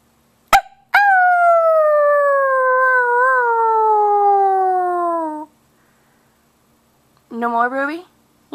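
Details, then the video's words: A pet pug lets out one long, smooth howl lasting about four and a half seconds. The tone slides steadily downward. After a pause comes a short, rising yelp, and a sharp click sounds just before the howl. "Howling Pug"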